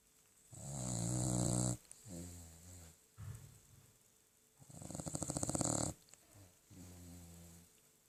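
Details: Old poodle, 13 years of age, asleep and snoring: loud rasping inhalations alternate with shorter, lower humming, vibrating exhales, a rhythmic cycle of roughly four seconds, in a quiet room.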